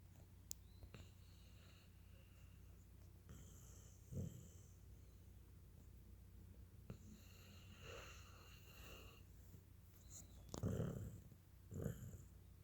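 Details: A tired Cocker Spaniel, sleepy after being excited, snores in low, rasping bursts with soft breathing between them.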